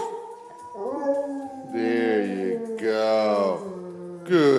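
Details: A pet dog howls, singing for its owners on request: long wavering tones that slide and swell in several phrases, with a person's voice encouraging it between.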